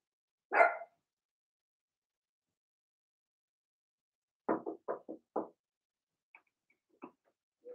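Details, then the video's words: Indoor puppy pen holding six young Blenheim Cavalier King Charles Spaniels from Remy's first litter: one loud yap, a pause, then a quick run of five short yappy barks trailing into soft whimpers. "Cavalier Puppies Bark, Howl"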